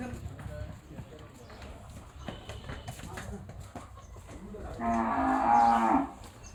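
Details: Large cows kept by people. One loud, low, harmonic moo lasts about a second near the end, after people talking and rustling nearby.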